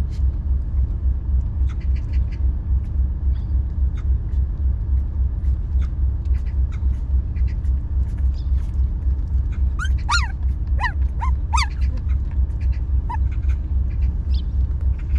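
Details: Stray dog mother with her puppies at their home as sunlight shines in; a burst of high, rising-and-falling whining squeals, about six quick cries in two seconds, then one softer whimper, over a constant low rumble.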